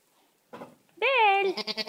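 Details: Goat kids penned with their mothers; after a short rough noise, a single loud, drawn-out bleat begins steady and breaks into a quavering, pulsing end.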